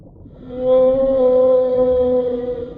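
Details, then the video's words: Whale sounding a long, steady, organ-like tone rich in overtones that swells in and holds an even pitch for over two seconds, with a low rumbling background. "Real Whale Sounds"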